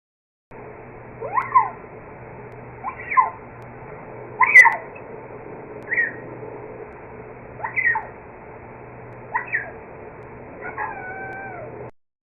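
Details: Mountain lion, a rarely seen big cat of the East Bay parks, in a played recording: about seven short, bird-like chirps, each rising then falling with clear overtones, spaced roughly every one to two seconds, the last a longer level whistle.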